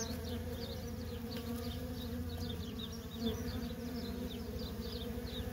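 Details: A feral honey bee colony with nonstop worker traffic gives a dense, continuous drone. It is strongest in the low register and overlaid by sparse, faint, high chirping notes.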